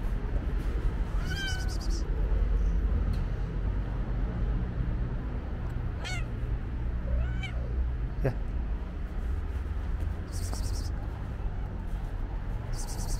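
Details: Stray black-and-white cat waiting at its usual spot, meowing in greeting as its feeder arrives; a few short, rising-falling mews spaced several seconds apart over steady low traffic rumble.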